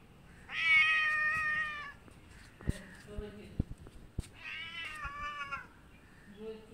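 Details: Kittens moving around a large visiting cat that comes to a house for food; two drawn-out, harmonic meows about a second long, the first loud and slightly falling, with faint clicks and quiet speech between.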